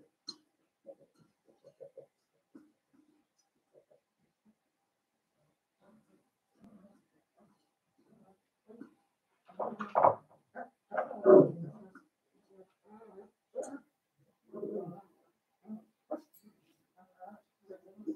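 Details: Litter of five blenheim Cavalier King Charles Spaniel puppies, born at New Year, kept in a home puppy pen; scattered soft grunts and squeaks, swelling into louder whimpering bursts midway, then trailing off into quiet snuffles.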